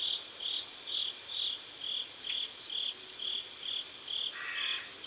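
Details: Clear cricket chirping by a South Korean river at sunset: strong, regular pulses roughly twice per second at a steady pitch, with a short lower buzzy sound near the end.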